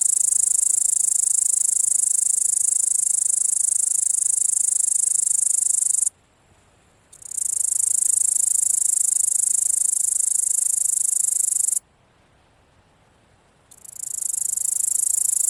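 A grasshopper gives a steady, high, hissing buzz that stops twice for a second or two.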